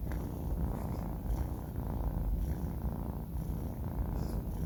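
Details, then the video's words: Low, even snoring rumble from Banh Mi, a four-month-old male cat fast asleep, breathing pulses faintly audible within the continuous purring drone. "snoring cat | sleeping cat"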